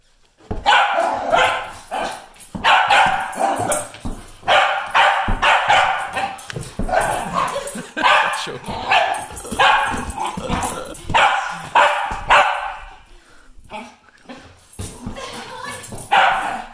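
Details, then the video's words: Welsh Terrier barking excitedly while playing a wild ball game; sharp, loud barks in rapid bursts, repeated roughly every second with brief pauses, a short quieter gap near the end before barking resumes. "Welsh Terrier crazy ball game"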